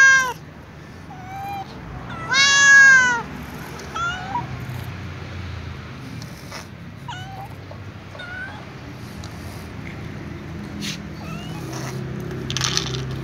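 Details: Calico cat asking for food while walking in company of other cats; one strong wavering meow early, then a string of quieter short mews and scattered clicks fading into low-level background noise.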